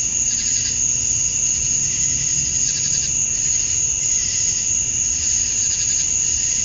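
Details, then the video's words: Male cicadas sing at summer dusk in Georgia, USA, to attract females. A dense, steady high drone carries pulsing buzzy bursts that repeat unevenly several times a second, with quiet low rumble beneath. "Cicadas at Dusk, Summer Night"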